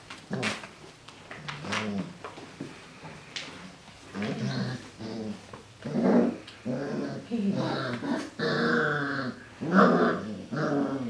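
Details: Golden Retriever puppies, 40 days old, with their adult uncle, make a busy run of short growls, whines and yips, roughly one burst a second, overlapping and irregular, with occasional thumps of play.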